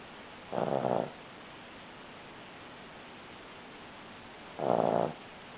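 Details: Two rasping snores from a sleeping Cavalier King Charles Spaniel, each about half a second long and roughly four seconds apart, separated by quiet breathing-room hiss.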